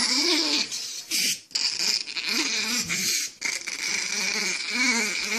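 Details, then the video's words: Several dogs bark in a funny compilation; high, harmonic yelping barks and whiny howl-like calls arch up and down in short bursts, with brief gaps between outbursts. "Funny Dogs Barking"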